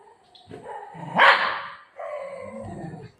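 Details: Milo, a pet dog shown as a little drama-maker, gives one sharp, tonal bark-like yelp in the middle, with softer whining tones before and after and a woman talking in Marathi around it.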